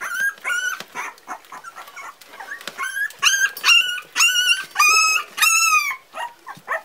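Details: Four-week-old Parson Russell Terrier puppies whining: a run of loud, clear, high-pitched squealing cries, several slightly falling in pitch, interspersed with shorter yips and whimpers from the litter.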